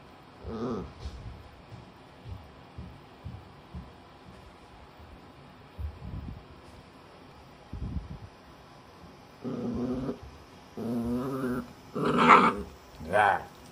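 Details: Shiba Inu puppy angrily growling while being towel-dried after a disliked shampoo; low rumbling growls and whines come in short bursts, rising to louder snarling yelps near the end, with a woman speaking softly at times.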